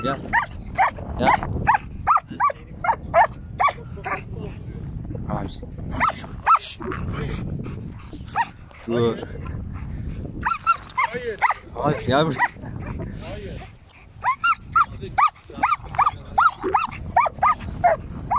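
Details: German Shepherd Ramiz confronting a giant cow barks again and again, short harsh bursts several per second for most of the stretch, over people talking and shouting commands at the dog.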